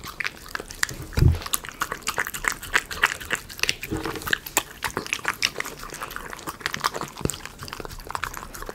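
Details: Miniature Schnauzer dog eating premium chicken pot pie dog food in a small room, ASMR recording; steady crunching and biting clicks with a louder low thud near the start and brief soft low tones midway.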